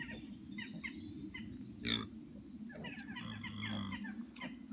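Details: Micro pig piglets, the latest litter of a UK breeder's pet miniature pigs, give short harmonic squeals, a sharp one near the second mark and a longer wavering run later. Small birds chirp high overhead, with a steady low hum beneath.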